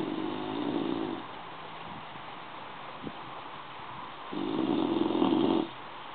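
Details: A bulldog asleep gives two drawn-out, raspy snores roughly four seconds apart, the second louder and longer, separated by a soft background hiss and a single faint click.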